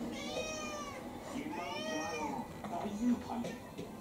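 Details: A roughly five-year-old female ginger tabby-like mixed-breed house cat, excited before dinner, gives two drawn-out rising-and-falling meows in the first two seconds, then softer murmurs; a person speaks indoors alongside.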